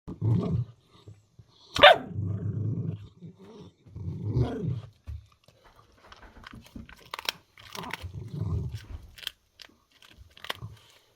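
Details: Puppy eating a duck neck bone, annoyed by a kitten nearby: low rumbling growls in bursts of about a second, repeated several times, with a sharp click and light scuffling between them.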